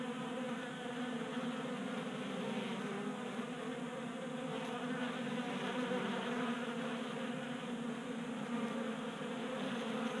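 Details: Honey bees feasting from a 3D printed feeder on a workbench in a Colorado garage during a mild January spell. Many wings produce an unbroken, layered droning buzz that swells and fades slightly as bees move about.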